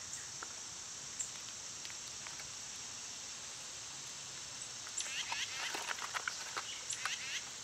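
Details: Summer cicada chorus where birds and squirrels are active: a constant high buzzing drone runs throughout, joined in the second half by a burst of quick, sharp bird chirps and twitters.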